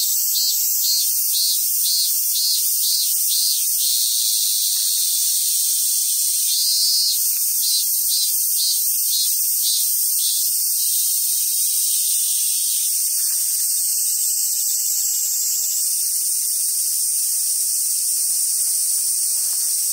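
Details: Cicadas singing in summer at a monkey park in Sumoto, Hyogo, Japan, on Awaji Island: a dense, steady high hiss with a brief run of rapid pulses early on and again mid-clip, continuous throughout.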